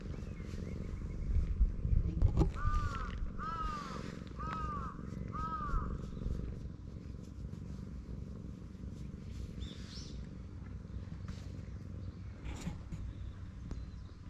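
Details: Stray cat met on a cat island in Japan: four short, arched, tonal meows about a second apart, each rising then falling, over a steady low outdoor rumble, with faint scattered clicks afterward.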